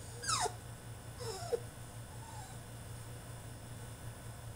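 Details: French Bulldog throwing a tantrum in his cage: two quick high whines sliding steeply downward, then a faint short whimper, over a steady low electrical hum.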